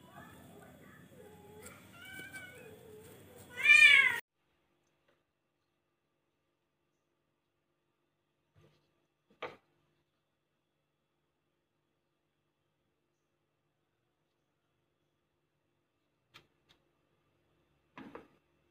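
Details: Charcoal cat meowing a short run of rising and falling calls, ending in one loud bright meow, then long silence broken by a few faint clicks and knocks.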